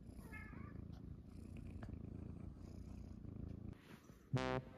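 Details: Munchkin kittens resting on their owner's belly in the morning, indoors: a low, even purr for about four seconds, then a short pause and a sudden loud, harmonic-rich tone at the end.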